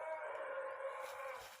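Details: A young male Asian elephant, on a day of light rain, gives a single loud, brassy, sustained call lasting under two seconds, steady in pitch and rich in overtones.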